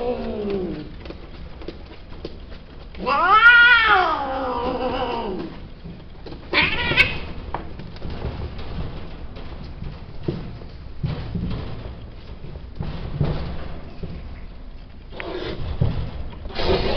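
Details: Male domestic cat during mating, producing a loud rising-then-falling wailing yowl about two seconds long, then a shorter sharp cry and, near the end, another strained call, with scuffling and rustling between them.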